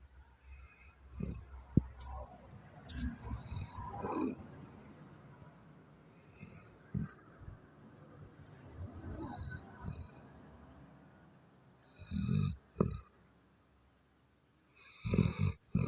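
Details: Sleeping Doberman snoring in uneven, rough breaths, deep rumbling bursts separated by quieter stretches, with two louder snores near the end.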